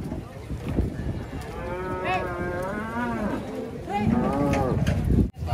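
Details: Cows being unloaded from a truck, including a female; several drawn-out wavering moos with rising and falling harmonics, overlapping with low rumbling handling noise.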